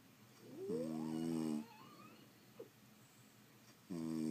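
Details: Sleeping French Bulldogs indoors snore in a long harmonic, nasal rasp lasting nearly a second, with a rising whistly squeak woven through it, then quiet breathing before the next snore begins.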